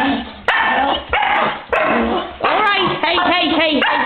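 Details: Pet female dog left alone for an hour greets her owner on return with bursts of excited vocalizing, arching whines and moaning yowls in quick succession, while the owner speaks over her.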